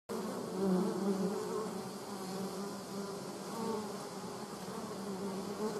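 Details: Honey bees buzzing steadily in flight at a water source, rising and falling as they come and go, while bees and German wasps dispute over the water; Western honey bee.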